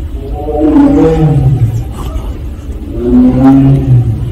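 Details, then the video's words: Siberian tigers, called Korean tigers, from Penza's family at Seoul Grand Park, giving their 'aung' calls. Two drawn-out, deep harmonic moans a few seconds apart, each falling at the end, over a low background rumble. "펜자네 가족 아웅 총 모음."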